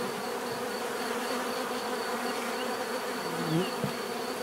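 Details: Many bees giving a natural, relaxing buzz: a dense, steady hum with layered tones around the low-mid range, a faint sustained high whine above, and one brief louder pass near the end.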